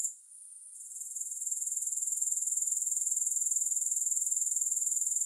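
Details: Grasshoppers, with no music. A high, rapid pulsing stridulation starts faintly, swells over the first second and a half, then continues evenly and loudly.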